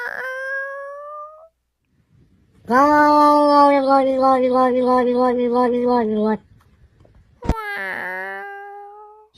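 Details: Domestic cat giving an unusual, strange meow: a long, drawn-out, low wavering yowl lasting several seconds, with shorter rising cries before and after, in a small indoor room.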